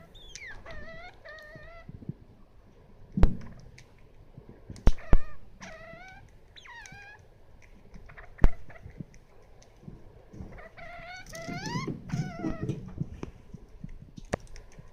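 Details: Degu angered on purpose by being approached while eating, acting as if its food would be taken; clusters of wavering, harmonic squeaky calls come in bursts, with sharp knocks near 3, 5 and 8.5 seconds and rustling around 11–13 seconds.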